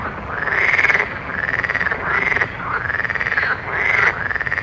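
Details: Frogs calling at night, overlapping pulsed, rasping croaks that rise and fall in arched notes, each lasting about half a second to a second and repeating steadily, with a continuous low background hum.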